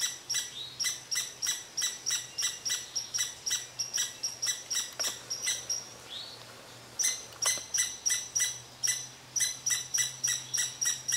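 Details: Scolding red squirrel venting at a cottontail rabbit beneath its favourite tree: rapid shrill chips, over three a second, break off briefly midway, then resume with equal vigour.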